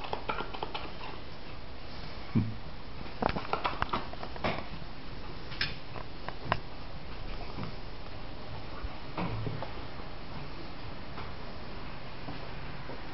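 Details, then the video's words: Two Labrador Retrievers, a chocolate brown puppy and a golden brother, eating spaghetti at a table indoors. Soft lip-smacking, slurps and irregular chewing clicks, bunched in bursts around the middle and near the end, with a low room hum. "Labrador puppy eating spagetti with golden labrador making funny noises"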